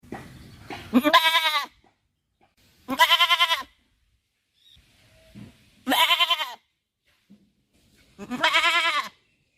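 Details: Goat bleating four times, each call a loud, wavering, nasal cry under a second long, spaced about two to three seconds apart, with quiet pauses between.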